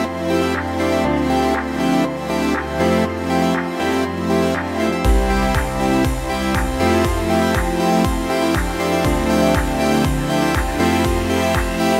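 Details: Electronic dance music with a steady beat and deep bass fills the whole recording, with no animal voice audible.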